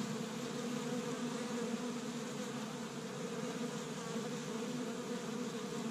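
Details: Honey bees swarming busily around an established Michigan hive on the first warm spring day, pollen from tree buds; steady droning buzz from many wings, a smooth unbroken hum throughout.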